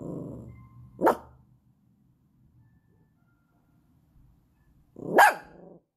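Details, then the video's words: Yorkshire Terrier puppy asking to play: two sharp, loud single barks about four seconds apart, the first preceded by a low grumbling sound, with silence between. "Щенок Йоркширского терьера просит поиграть с ним"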